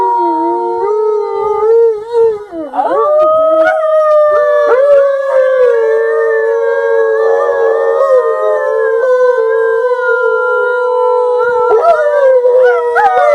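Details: Gray wolf. Wolves give long, drawn-out howls, sliding upward and then holding a steady, slightly wavering pitch. Several voices overlap at different pitches, forming a layered chorus.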